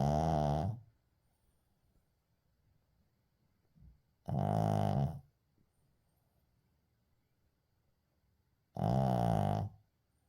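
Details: Shih Tzu named Uijung asleep indoors, unedited recording: three loud, rasping snores about every four seconds, each under a second long, separated by near silence in a quiet small room.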